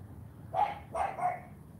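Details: Female AKC champion Cane Corso puppy Charme during morning obedience training, giving two short, mid-pitched barks about half a second apart between spoken commands of praise and "sit". Steady low rumble underneath.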